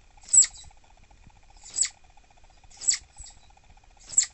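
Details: Annoyed captive female southern flying squirrel, refusing treats, producing four piercing high chirps spaced just over a second apart, each a short bright burst, with a faint constant hum underneath.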